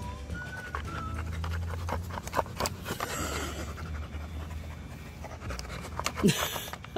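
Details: Siberian Husky panting while playing a Hungry Hungry Hippos-style game with a toy hippo, pawing at it to open its mouth; steady low breathy rhythm with clattering plastic clicks and a person talking nearby.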